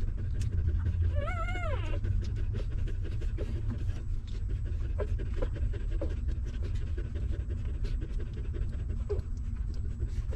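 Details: Newborn puppies of a stray mother dog suckling milk: steady wet smacking and sucking clicks, with one brief wavering whimper early on, over a constant low rumble.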